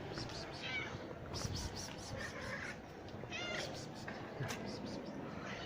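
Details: Domestic cats, a mother and her kittens living under a building among stacked firewood, coming out at feeding time; several short, high, bending meows spaced through the recording, with a man talking quietly and rustling in the background.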